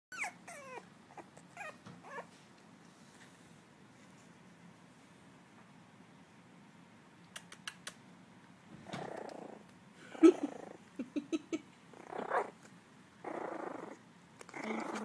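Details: Three miniature dachshund puppies learning to bark and growl give thin, squeaky yips, then short, rough little barks in quick bursts; one is possibly guarding its food bowl.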